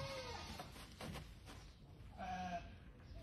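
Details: Near Sidi Aissa, Algeria, a sheep lets out a short, nasal, quavering bleat late in the recording, preceded by a fainter bleat and background voices and handling noise.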